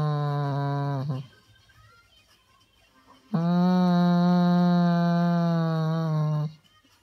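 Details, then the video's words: Weimaraner seeking attention indoors, a "talking" dog likened to a pregnant cow: a one-second low moaning whine, a pause, then a longer three-second steady, cow-like moan, rich in overtones. "Attention seeking talking Weimaraner sounds like a pregnant cow"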